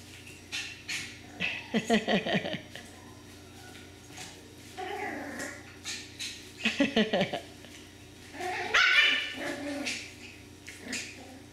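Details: Miniature Schnauzer puppies yapping in short rapid bursts of high, harsh yips near two, five and seven seconds, then a shrill rising yelp around nine seconds, with quieter whines between and faint human voices.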